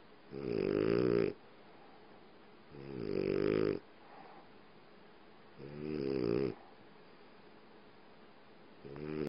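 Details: French Bulldog snoring while asleep on its owner's leg, in a dark room: loud rasping, buzzy snores about one second long, repeating roughly every two and a half seconds, with quiet pauses between breaths.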